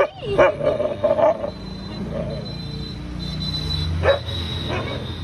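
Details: Pet dog barking at a cat indoors: a quick burst of three or four sharp barks at the start, a quieter stretch with a low hum, then one more bark near the end.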